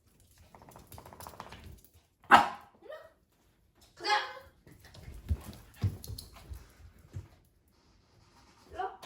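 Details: Dogs puzzled by an invisible wall bark loudly in two bursts, around two and four seconds in, amid human talking, soft rustling and thumps.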